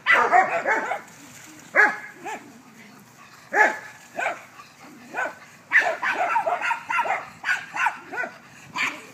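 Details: Backyard play among dogs: clusters of sharp barks and yips come in groups separated by short quiet gaps, some barks rapid-fire, others single and spaced.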